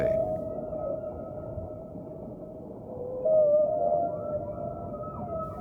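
A whale gives long, tonal moaning notes that waver and slide upward, with a louder rising swoop midway, over a low underwater rumble.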